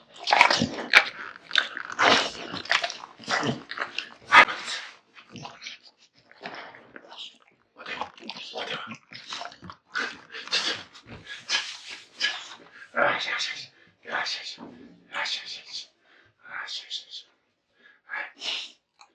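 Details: Kotetsu, a big-eating male American Bully, chews raw meat and bones: loud crunching at first, then softer, spaced bites and gnawing that grow sparser toward the end.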